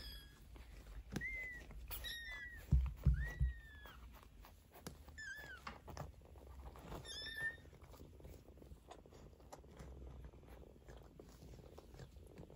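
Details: Fifteen-day-old Maine Coon kittens with their mother Geza give a run of short, high, falling mews spread over the first seven seconds, with soft thumps and shuffling; the rest is quiet rustle.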